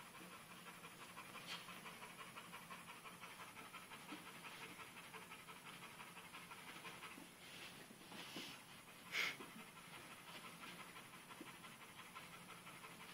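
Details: Dixie the pit bull puppy pants hard during sock play, alongside two adult pit bulls; a long run of quick soft breaths with a few louder puffs and one sharp bright click near the end.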